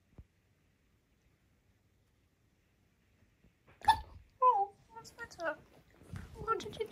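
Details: K'eyush, a male Siberian Husky, indoors after twisting his ankle and needing comfort; after near silence, a run of harmonic whining vocalizations with bending, wavering pitch, several short moaning sounds strung together over three seconds.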